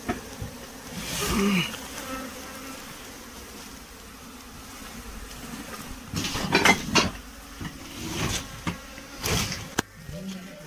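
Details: Hive honey bees during beekeeping work, producing a continuous low buzzing drone with overtones, interrupted by clattering, tapping and knocking noises from the work going on nearby.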